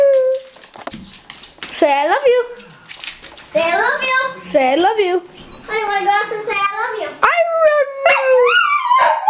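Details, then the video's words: Dog named Honey vocalizing while being coaxed to say "I love you": wavy, warbling yowls that rise and dip repeatedly, mixed with overlapping human speech and encouragement throughout. "Honey says I Love You"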